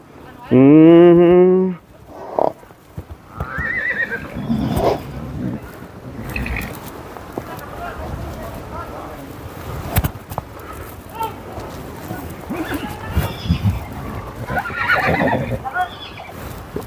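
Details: A horse described as wild, about to be ridden, gives one loud, harmonic whinny lasting over a second near the start, followed by people chatting in Tagalog with occasional rustling and knocks.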